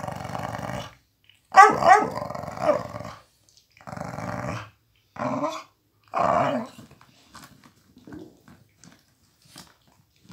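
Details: A one-year-old Miniature Pinscher growls while snatching a toy from his adoptive Pitbull companion; rumbling growl bursts, one sharper snarl, then several shorter growls separated by pauses, fading into soft clicks and rustling.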